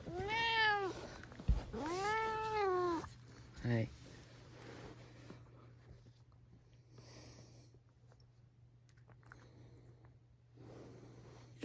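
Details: Pet cat at home trying to take back its sleeping spot from the father, giving two long, clear rising-then-falling meows and a short third one, followed by quiet rustling over a steady low hum.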